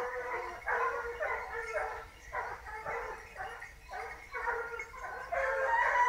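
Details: Pack of hunting dogs in full cry at the start of a hunt, finally on a wild boar after a hard search: overlapping yelping and baying voices in rapid bursts, rising and falling together without pause.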